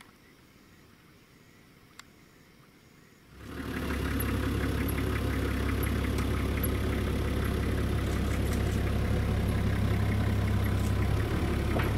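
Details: Quiet outdoor night air, then after about three seconds a vehicle engine starts and idles loudly with a deep steady rumble; no animal calls are heard.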